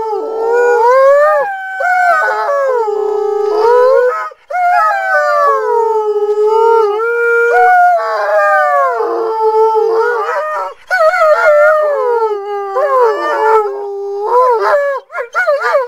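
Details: Alaskan Malamutes answer a siren with a chorus of long, sliding howls, pitch rising and falling in wavy arcs, several dogs overlapping; short pauses near four and eleven seconds before the voices resume.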